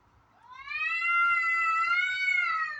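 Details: Domestic cats in a backyard in the morning, a white one and an orange one, possibly a female in heat or a fight: one long, drawn-out, wavering yowl, rising then holding steady for about two seconds.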